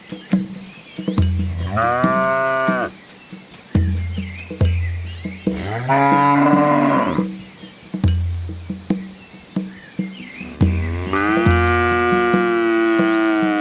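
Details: Village cows, hungry while being fed, give three loud, long moos: a short one, a bending one that rises then falls, and a long, harsh final one. Regular clattering knocks fill the gaps between calls.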